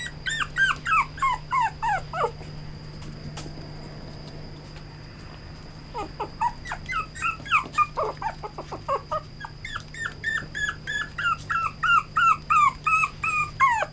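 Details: Red-coated male Toy Poodle giving rapid high whines and yelps, each sliding downward in pitch, in two long bursts of about three per second separated by a quiet gap, over a steady low hum.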